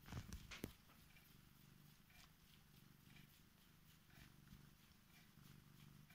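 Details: Female Korat cat in bed, waking her owner and showing affection; a low, steady rumbling purr runs throughout, softly pulsing, with brief rustling of bedding near the start.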